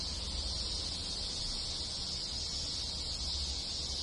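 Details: Cicadas massed in rural Japan in summer keep up a constant high shrill drone, with other insects, while a noticeable low rumble, possibly distant traffic, sits beneath the insect noise.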